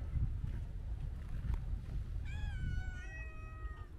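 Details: A single long, clear meow from a Siamese mix cat, steady in pitch and tapering off at the end, following a stretch of low rumbling background noise.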